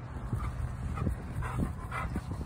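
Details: Female Bernese Mountain Dog in Franklin, Tasmania, whimpering because she fears being left behind: short, thin whines repeated about every half second, with a steady low hum and rumbling underneath.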